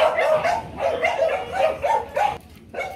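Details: Demanding, non-threatening barking from a female Mong Coc dog at a kennel in Vietnam: a rapid, steady run of short barks roughly every third of a second over a constant broadband background hiss.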